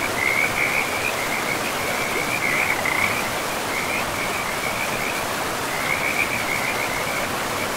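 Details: Frogs by a river in a pristine forest of moss-covered land: rapid pulsed trills at a steady high pitch, in bursts with a short pause near the middle, over a constant rushing hiss of flowing water.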